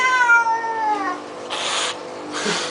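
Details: Flea-bath protest from domestic cat Baxter: a single long, loud meow falling in pitch, then bursts of splashing water as he is washed.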